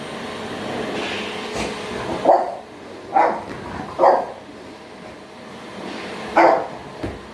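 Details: Toby, a French Bulldog, facing off against a running vacuum cleaner: five separate punchy barks spaced about a second apart, set against a constant broadband whoosh of the machine.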